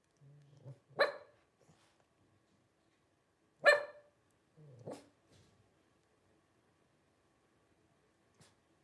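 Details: Twelve-day-old Blenheim Cavalier King Charles Spaniel puppies from a litter of five born to Paris and Spike on New Year's 2023; three short, harmonic-rich yelps near the start and middle, preceded by soft low grunts, then near silence.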